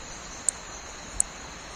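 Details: Paedophryne amauensis, a New Guinea frog about three-tenths of an inch long and called the smallest vertebrate, calls from tropical leaf litter with sharp, very high, insect-like clicks spaced under a second apart.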